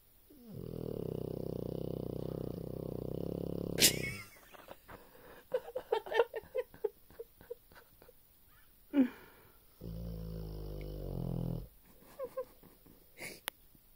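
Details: Sleeping dog gives a low, rough snore lasting about four seconds, then soft clicks and rustles, then a second shorter snore near the end.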